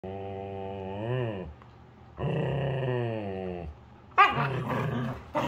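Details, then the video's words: Two Siberian Huskies (or Alaskan Husky) give long, groaning, wavering vocal calls while playing together. "Funny Husky Noises during Play"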